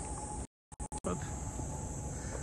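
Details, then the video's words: Cicadas drone in a continuous high, hissing buzz over low street noise in a small neighbourhood around Shinjuku, Tokyo, in summer. "Vous entendez les cigales là?"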